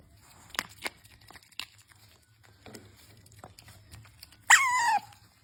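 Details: Pet otter Usomaru asking for his treats indoors: scattered clicks and soft crinkling, then one loud, high squeal that slides downward and lasts about half a second near the end.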